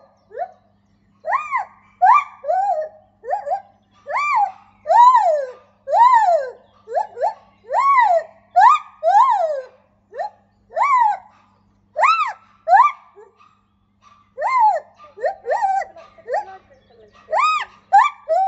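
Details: A white-handed (lar) gibbon at a primate park sings loud, pure hooting notes that swoop up and fall back, repeated in quick succession.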